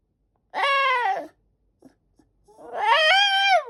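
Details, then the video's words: White Shiba Inu, a father dog, pestering his owner for a snack indoors: two drawn-out, tonal, harmonic whines, the first about a second long and falling at its end, the second longer, rising then holding steady, with brief faint clicks between. "Give me a snack ! おやつをちょうだい！とお母さんに催促する柴犬とうちゃん"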